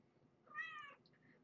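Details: Kitten or nursing mother cat indoors, a rescued former stray with her litter, at feeding time: a single clear, high, slightly rising meow of about half a second with bright harmonics, then faint softer squeaks in a quiet room.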